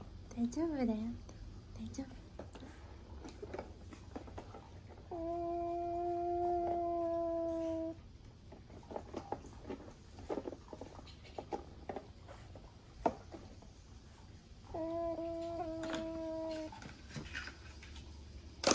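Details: A baby Asian small-clawed otter complains in the pool with wavering squeaks and long, steady, nasal whines, a threatening voice described as shallow and not scary.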